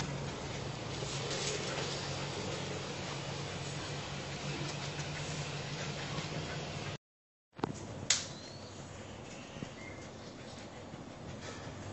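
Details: Steady indoor hum and broadband noise, broken by a brief silence and a door-like clatter. No animal voice stands out.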